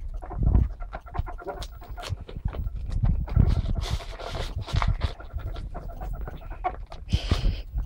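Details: Several pet ferrets playing together, captured on a mobile phone: a dense run of rapid, irregular low clucks and chuffing pulses with brief scuffling bursts, continuing throughout.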